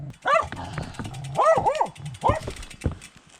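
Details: A dog hidden in bushes beside the road barks while a cyclist passes during an ultramarathon across Poland. Four loud, arched barks come in quick succession, with a rough low background.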